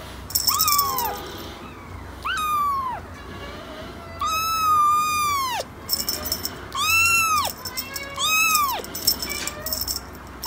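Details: Young cat mewing insistently, six or seven drawn-out, bowed meows, some long and wavering, separated by short pauses, with light rustling behind them.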